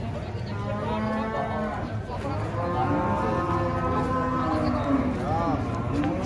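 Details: Angry, rampaging cow being unloaded from a truck, with handlers nearby; several drawn-out low moos overlap a steady rumble of crowd voices and outdoor background noise.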